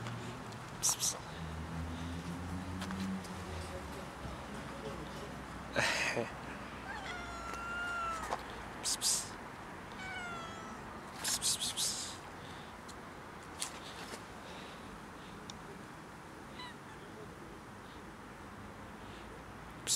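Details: Mother cat and her two tiny kittens asking for food: several short, high, rising-then-falling meows spread across the recording, with sharp knocks and rustling noises and a low steady background hum.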